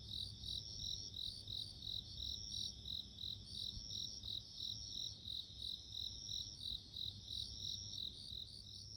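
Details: Bell cricket chirping in a natural setting: a high, bell-like ringing repeated in quick regular pulses, roughly three per second, over a sustained high whine and a faint low background rumble.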